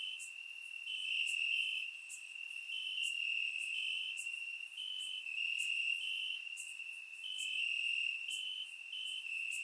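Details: Bulgarian grassland at night on a warm summer evening: crickets keep up a continuous high, ringing trill with small pitch steps and quick overlapping pulses, plus crisp clicks recurring every second or so.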